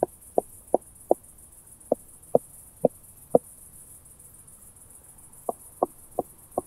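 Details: Southern Oak Bush-cricket at Starnberg, Germany, on 7 August 2023, picked up with a Pettersson D 100 ultrasound detector after noise removal: sharp dry ticks, about two per second in loose groups, a short pause, then another run of four.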